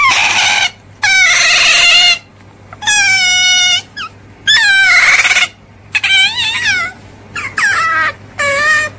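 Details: An otter's piercing squeals, rich in harmonics, come in roughly one-second bursts; some notes stay level while others quaver and dip, with quiet gaps between.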